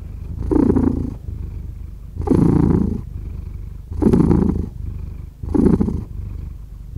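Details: Close, slow cat purr in distinct breathing cycles: four loud rumbling bursts roughly every one and a half to two seconds, each separated by a quieter, softer rumble on the in-breath.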